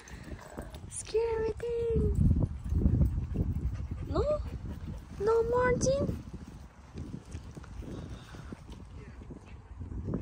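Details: Samoyed giving drawn-out whining, howl-like calls: a steady tone first, then shorter sliding notes rising in pitch, about four calls over six seconds, with people talking and rustling movement around.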